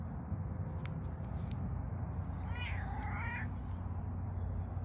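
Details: Domestic cat named Socks, a male, early in the morning after bringing home a mouse as a trophy gift; one wavering, drawn-out meow with bending harmonics mid-clip over a steady low background rumble, with a few faint clicks earlier.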